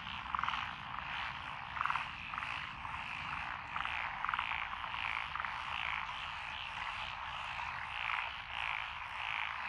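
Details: Frog chorus from lotus rice paddies beside a country road in Echizen, Fukui, Japan, recorded 12 June 2021, with tree, pond, wrinkled, Schlegel's green and forest green tree frogs: dense continuous croaking with louder pulsed calls roughly every two seconds.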